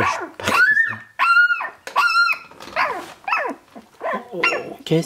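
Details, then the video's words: Sixteen-day-old Shiba Inu puppies of Ichi and Hime, recorded 13 March 2017. They make a string of shrill, arched squeals and whimpers, some rising and then falling, over a person talking softly indoors. "Shiba Inu Ichi Hime Chiots"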